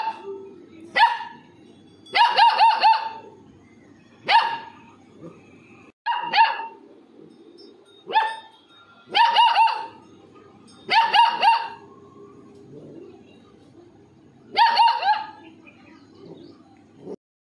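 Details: Yappy, high-pitched barking from Labrador puppies at home, coming in single, double or triple bursts every one to two seconds across the whole stretch, with faint background noise in the gaps.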